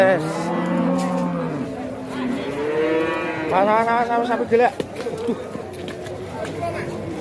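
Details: Fat cattle bellowing: a long, low moo opens, then a loud rising and falling bellow stands out midway, followed by shorter calls fading into background chatter.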